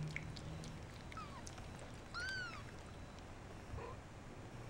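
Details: Shaded golden Persian kittens just over two weeks old, a litter in their nest, growing inquisitive: thin high mews, the clearest an arched, harmonic-rich cry midway, with fainter falling mews before and after, over low steady room hum.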